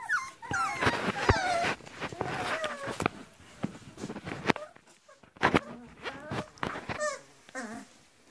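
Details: Griffon puppies, 40 days old, from a litter of three males and four females in Cairo, giving high, wavering whimpers and yelps that sweep up and down in quick bursts, with some handling clatter between cries.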